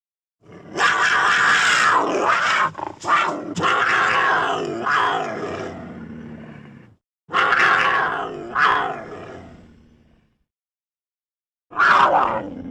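A mountain lion gives long, harsh, strained yowls that rise and fall, separated by brief silences.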